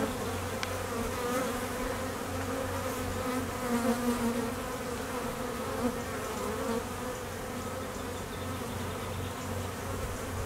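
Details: Busy apiary of honey bees in peak summer honey flow, with foragers working and drones making midday mating flights; a dense, continuous buzzing drone from many bees, gently rising and fading as individuals fly nearer.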